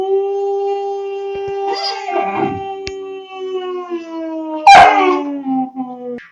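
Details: Two-month-old German Shepherd puppy giving one long, steady howl lasting over six seconds, slowly sinking in pitch near the end, with short rough noisy bursts layered over it midway and near the close.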